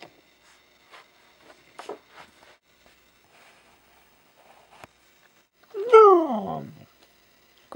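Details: Kira, a five-year-old Siberian husky, speaking on command indoors: one loud drawn-out whine-like call sliding downward in pitch, preceded by soft rustles and faint speech.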